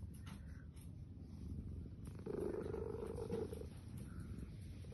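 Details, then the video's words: A sleeping kitty makes a short, low, steady murmuring vocalization lasting about a second, against a constant rumbling, purr-like low background. "kitty talking in her sleep"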